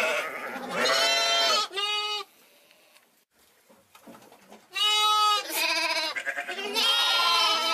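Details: A lamb or hogget gives a series of loud, wavering, nasal bleats separated by a brief quiet pause.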